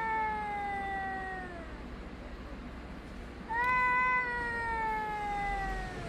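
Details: Cats yowling at each other, recorded on 3 Av 5785 around 6:01–6:04 summer time; a long descending wail fades out, then after a pause a louder, steadier moaning howl rises and slowly drops away.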